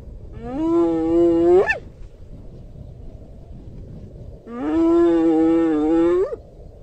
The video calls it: Hyena Calling Sound